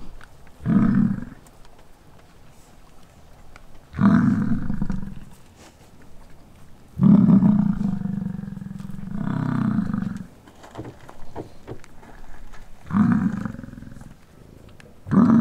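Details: An American bison bull on a ranch in Wright, Wyoming, gives deep, lion-like rumbling roars in short bursts and one long drawn-out bellow during the rut.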